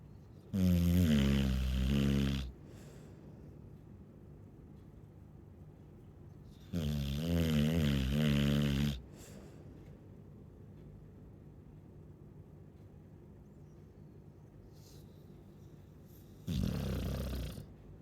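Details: Slow rhythm of a Chow Chow snoring, three loud, low, rattling breaths each lasting about two seconds, spaced roughly every seven seconds with quiet breathing between.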